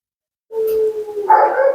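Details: Dramatic Siberian Husky Mila, a female being groomed and bathed, talking back: a level, pure-toned whine that breaks into a louder, grumbling, rough-edged howl.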